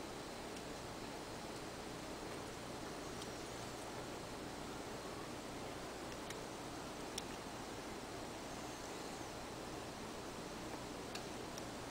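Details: Even broadband hiss like wind or rustling fills all twelve seconds, with a few faint ticks and no animal sounds.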